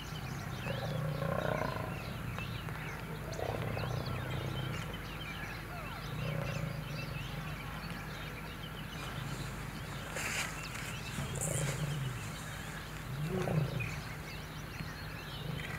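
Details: Lions at Kruger National Park, South Africa, during a territorial battle in which an old male fights young males: low, moaning roaring grunts rise and fade several times at irregular intervals, with small birds chirping throughout.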